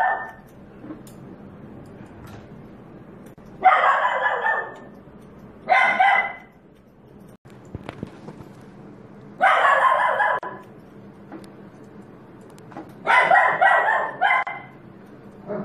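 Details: Poodle barking during home grooming: loud, broad barks in separate bursts near 4, 6, 10 and 13–14 seconds, some doubled in quick succession, over a steady low background hum.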